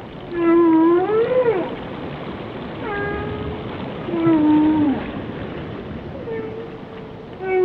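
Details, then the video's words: Whale song of long tonal moans and wails, some rising then falling, others gently sliding down, rich in overtones and coming in phrases several seconds apart over a soft watery hiss. "Song of the Whales"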